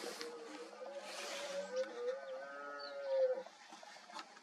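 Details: A male red deer about 6-7 years old bellows during the autumn rut in a forest, seen in an early-morning watch: a drawn-out, moaning, fairly high tonal bellow held about two seconds, swelling near the end; faint breathy background.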